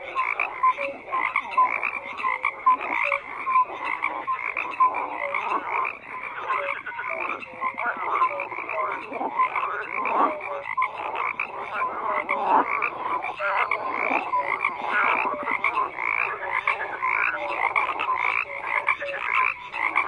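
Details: Continuous chorus of croaking frogs, harsh rapid pulses and scattered short whistled notes overlapping densely, the sound holding steady with small surges throughout.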